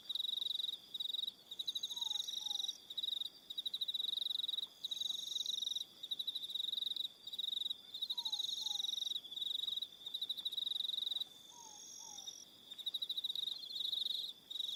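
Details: Evening cricket chorus from Aroha Island, New Zealand: rapid pulsed trilling in bursts that stop and restart every second or so, with thin high whines overhead and a soft, low, falling two-note call returning about every five seconds.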